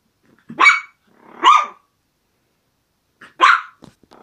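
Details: Maltese terrier barking while playing: three short, sharp, high-pitched barks, two close together near the start and one more after a pause, in an otherwise quiet indoor setting.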